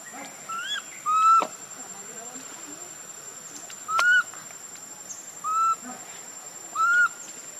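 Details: Hungry infant monkey named Leo begs its mother for milk with repeated pitiful cries, each a brief arched whistle-like wail, coming about every one to two seconds with short gaps, over a quiet constant high-pitched hiss.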